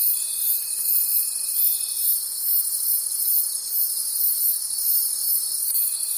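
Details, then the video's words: Crickets in a night forest trilling shrilly and continuously, with fast regular pulses, about four a second; a thin steady tone sounds at the start and returns at the end. "Forest Sounds and Cricket Conversations at Night"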